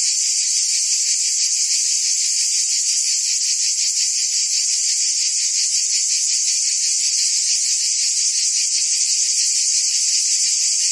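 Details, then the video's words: Cicada chorus from trees in a forest: a continuous, hissing high buzz with quick regular pulsing, holding the same level the whole time. "Ambient Cicada Sounds"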